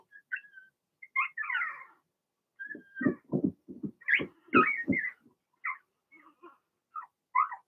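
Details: Blenheim Cavalier King Charles Spaniel puppies, six littermates in an indoor pen during potty training: high thin whines and squeaks scattered throughout, with a run of low thumping knocks in the middle.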